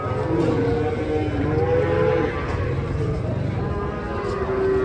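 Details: ['Cattle unloading from a truck, with long, steady low lowing partly buried under a continuous hum of voices and engine noise.']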